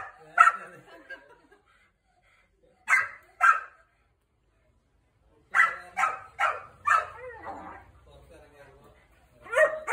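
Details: German shepherd puppy meeting an angry one-year-old Labrador for the first time; scattered sharp barks in short bursts separated by silence, mixed with quieter yelps and some human speech and rustling.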